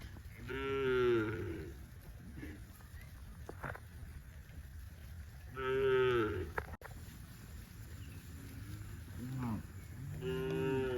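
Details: Tame farm cows in rice fields give repeated moos roughly every five seconds, each a rich harmonic call that rises then drops, with faint softer lowing between them.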